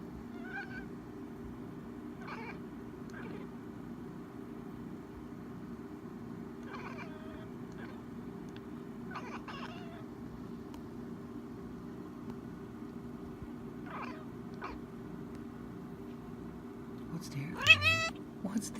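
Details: Excited domestic cat being teased, giving short squeaky chirps and trilling mews at irregular intervals over a steady low hum, ending with a louder rising meow as a woman begins talking softly to it.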